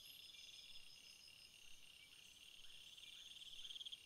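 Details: Several crickets calling together, high shimmering trills held in overlapping bands, with a quick beaded run of chirps near the end over a quiet outdoor hiss.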